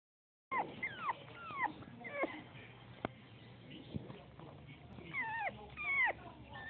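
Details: A male Bull Terrier whimpers and whines in short, high, bending notes, some rising and some falling.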